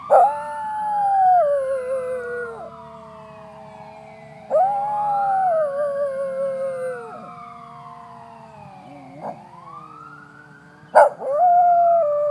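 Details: Cody the West Highland Terrier howls along with a passing fire truck's siren, giving several drawn-out, quavering howls that sag in pitch, mixed with broad up-and-down siren wails.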